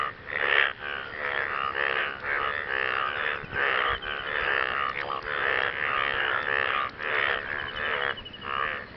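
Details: Frogs calling partners in the wake of rain, with overlapping harsh, pulsed croaks running nearly without a break and several callers blending into an uneven, throbbing chorus.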